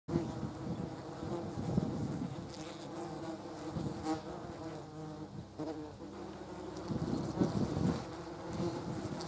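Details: German wasps feeding on a jar of jam: several overlapping droning buzzes with steady low hums and layered harmonics, swelling and fading as individuals move about, with the loudest bursts near the end.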